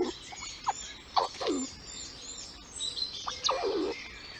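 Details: Female squirrel named Lilli, a mother in a nest, squeaking at her young: short squeaks that sweep sharply downward, coming in quick pairs and small bursts, with faint high chirps in the background.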